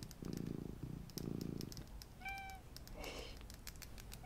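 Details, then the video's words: Purring of a small domestic cat indoors: low rumbling bursts in two long stretches, then a brief faint tonal sound and soft rustling and tapping noises. "my purring MINI Cat"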